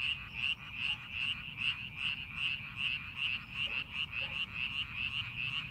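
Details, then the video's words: Chorus of frogs in a rice paddy readied for the farming season, many voices croaking in quick regular pulses about two or three each second, forming a continuous rattling din over low background hum. "농사준비하는 논에서 개구리 울음소리"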